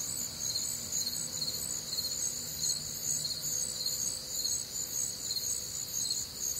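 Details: Midwestern crickets on a warm, humid summer night, continuous shrill chorus of high trills throbbing a little over twice a second, several overlapping voices at different pitches, faint low hum beneath.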